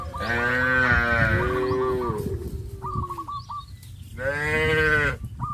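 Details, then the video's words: Cows being led to green grass fields, giving long, loud harmonic moos about a second each, two main calls with a pause between, while high, quick peeping chirps from small birds repeat in the background. "cows of sound"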